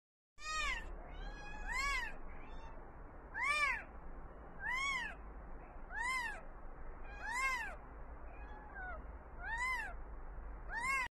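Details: Newborn kitten from a cat family crying: a series of eight thin, high, arched mews, each rising then falling, repeated roughly every one to two seconds with small pauses, over a quiet background hum.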